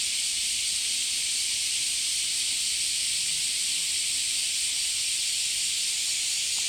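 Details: Cicadas calling at Hiraoka Shrine in Japan: a steady, unbroken high-pitched hissing drone that fills the air without pause.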